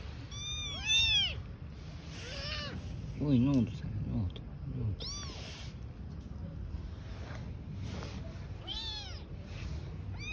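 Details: Newborn kittens with their mother cat living on the street: a run of high, arching meows, several overlapping in quick bursts, with a person speaking Turkish in the middle and steady low background hum.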